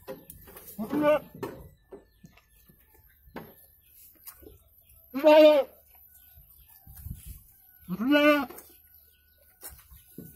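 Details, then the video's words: Goat bleating while giving birth to two kids in Indonesia; three loud wavering bleats with rich harmonics about every three seconds, with quiet human voices and rustling between. "PROSES KAMBING BERANAK 2 EKOR ANAK!"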